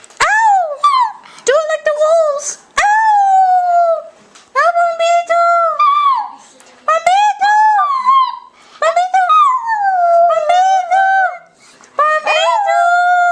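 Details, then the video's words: A pet dog singing: long, clear, howl-like tones that waver, slide up and sag down, given in short phrases separated by brief silences, with a few sharp clicks between phrases. "Cute Dog Singing!"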